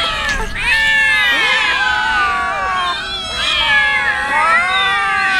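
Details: Poor street cats, hungry and waiting for tuna, give long drawn-out meows, many voices layered and sliding up and down in pitch, some cries bending sharply downward.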